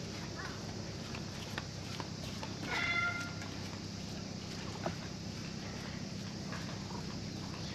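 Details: Cat that had been sleeping at a fishing port, stroked by a child who came to fish, purring contentedly: a steady low rumbling drone throughout, with a brief high chirping sound near the middle and faint outdoor noise.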